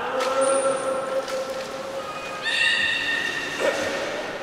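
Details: Captive belugas at Port of Nagoya Public Aquarium, Japan, on 11 August 2018, during a pool transfer. Long steady mid-pitched whistles carry a very high thin tone near the start, then a brighter layered squeal and a short chirp.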